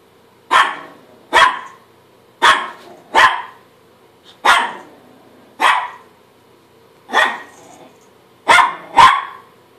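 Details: Chihuahua barking at himself in the mirror, a steady series of about ten short, sharp, high-pitched barks spaced roughly a second apart, some in quick doubles.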